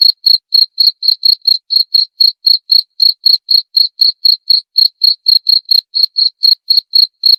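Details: Repeated cricket chirps meant to chase rats away: a long run of sharp, high pulsed notes at about four per second, slightly uneven spacing, nothing else audible.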